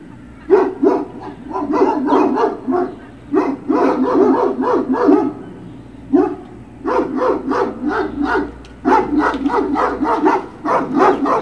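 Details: Great Dane puppies on Puppy Hill, 21 March 2019, barking and yipping in dense overlapping volleys, several pups calling at once in clusters separated by brief pauses, over a faint steady hum.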